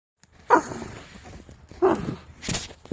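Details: A pet red fox, very vocal and chattiest when annoyed, gives three harsh, hoarse screaming barks about a second apart indoors at 8 a.m. while being told to quiet down.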